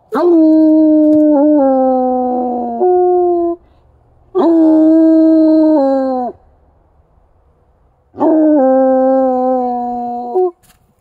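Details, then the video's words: A Bluetick Coonhound in snowy woods gives three long, mournful howls, each held steady for a few seconds, set off by signs of deer activity such as deer tracks in the snow. "Bluetick Coonhound Howling"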